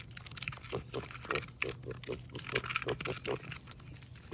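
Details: Rescue piglet playing three weeks after brain surgery, giving short soft grunts in quick irregular bursts, some with higher squeaky edges, over a steady low hum.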